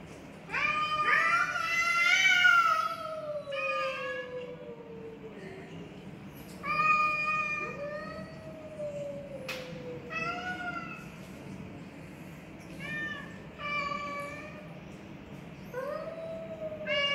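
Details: Black Persian cat in an intense cat fight: a series of loud, harmonic, wavering meows and drawn-out yowls, some sliding downward, repeated every one to three seconds with short gaps, over a low steady background rumble.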